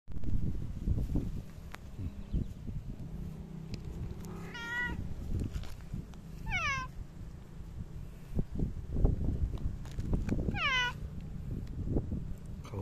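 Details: Talkative ginger tabby cat meowing indoors: three short harmonic meows, each falling in pitch, around four, six and a half and ten and a half seconds, over low rumbling handling noise.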